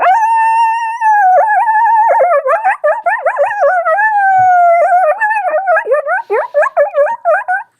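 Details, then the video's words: Coyote chorus, the normal coyote vocalization likened to a group of yappy dogs, commonly heard even in urban North America: sustained overlapping howls and wavering yips from several voices, breaking into rapid yappy warbles toward the end. "Their chorus, how it sounds like a group of yip yappy dogs down the road that just wokes it up."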